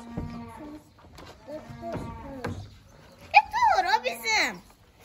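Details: Hungry calves at milk feeding on a farm: a steady low tone and Turkish speech at first, then a loud, wavering, strained bawl that rises and falls before dropping away over about a second.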